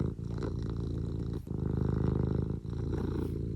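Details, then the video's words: Domestic cat Eric purring contentedly, a deep continuous pulsing rumble broken by two short pauses for breath. "Eric just has a purr and a blep for you today"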